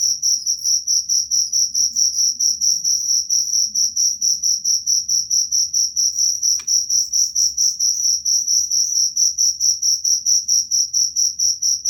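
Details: Cricket sound meant to scare off rats: very regular high chirps, about two per second, with one sharp click midway and a faint low background hum.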